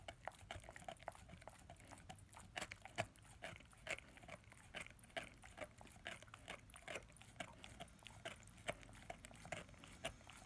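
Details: German Shepherd/Labrador puppy aged ten months working at his first bone, dense rapid gnawing with crisp clicks and crunches more than twice a second, uneven in rhythm and close to the microphone.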